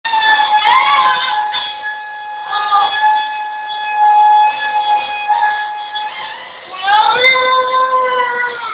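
A Basenji sings along with a vacuum cleaner in long, wavering, yodel-like howls that slide upward.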